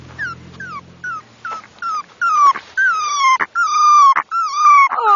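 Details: A Havanese puppy named Harley, 'singing' in a run of high whining yelps. Each yelp is short and slides downward, roughly one per second, and they grow longer and louder toward the end. Soft coaxing human voice.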